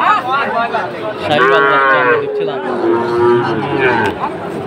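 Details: {'text': 'Lowing at a cattle market in Chattogram, Bangladesh, 7 September 2024, where a farmer purchases a Sahiwal bull; a sustained moo of over two seconds, slightly falling, with murmuring crowd behind.'}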